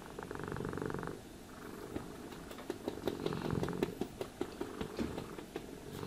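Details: Cat purring as it is brushed: a brief rumbling purr burst opens, then a run of sharp, regular brush strokes and clicks dominates while the purr continues softly underneath.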